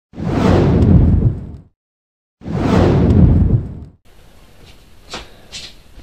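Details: Two loud whooshing swipes, each about one and a half seconds long, separated by silence, then quiet room noise with a couple of faint clicks.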